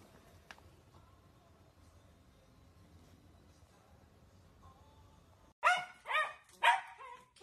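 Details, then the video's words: Playful Dachshund puppies: after several seconds of quiet room hum, three loud, high yapping barks burst out in quick succession near the end, each short and sharp with a brief pause between. "Sausage dogs puppies"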